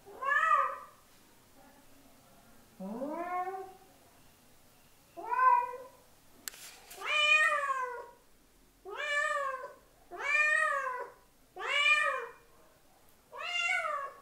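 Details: Domestic cat meowing to attract another cat: a series of eight clear, harmonic meows, each arching up then falling, spaced roughly every one to two seconds in a quiet room.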